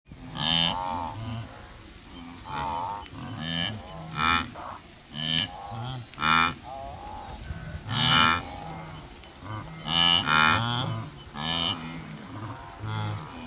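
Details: Wildebeest during the Great Migration in the Serengeti, Tanzania, on safari: a herd chorus of nasal, honking grunts and moans overlapping at irregular intervals, with several animals calling at once.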